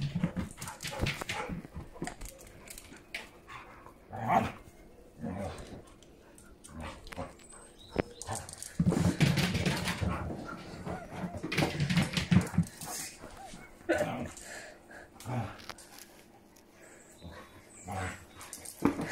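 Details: Mother and daughter Siberian Huskies, Faith and Bella, at play: throaty growls and short gruff barks in irregular bursts, loudest midway, with quieter gaps of scuffling between.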